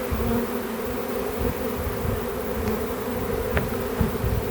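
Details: Swarm of honey bees in a back yard, being captured to join a beekeeper's hives: dense, steady droning hum, low and continuous, with a faint click or two and soft thumps.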